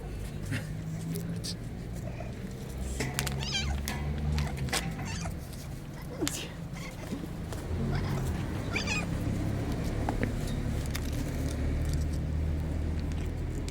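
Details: Hungry homeless black kitten on the street, meowing for food; several short harmonic mews scattered through the recording among people speaking Ukrainian and steady low traffic-like rumble.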